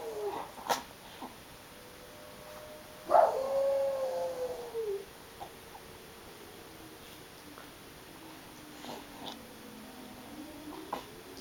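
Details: Oscar, a pet dog, howling in response to a town tornado siren; a long wavering howl gliding gently downward, with the siren's drawn-out tone sweeping in the background and scattered faint clicks.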